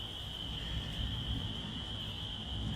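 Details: Spring peepers in Michigan on 18 April 2025, just past 1 during a storm with lightning and rain starting, calling in a dense chorus, a steady high-pitched shrill over low rumbling background noise.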